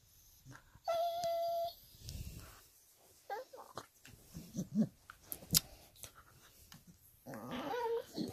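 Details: Dog indoors whining: a sustained high whistled whine near the start, then scattered short whimpers and snuffles, ending with a rising nasal whine.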